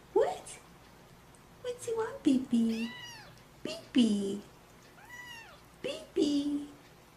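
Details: Kittens meowing: short, high, arched meows repeated every second or so, mixed with lower, rougher mews and a person talking softly nearby.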